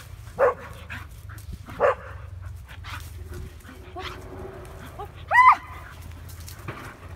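A Bull Terrier gives two short, sharp barks, then a rising, whining yelp.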